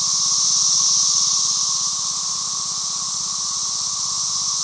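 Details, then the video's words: Loud 17-year periodical cicada chorus recorded in the middle of a property, an unbroken high hissing wall of sound with a weaker lower band and a fast, regular low pulsing throughout the whole stretch. "The 17year Cicada."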